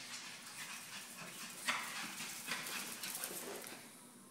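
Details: A little white Pekingese, a rescue dog, makes soft, short whimpers and yips in quick, irregular bursts over a faint hiss while playing with a toy.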